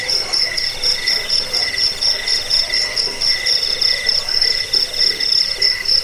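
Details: Crickets giving their chirp, played to repel rats, bring sleep and teach songbirds; piercing pulsed trilling in fast, slightly uneven bursts, several per second, over a quieter lower buzz, steady throughout.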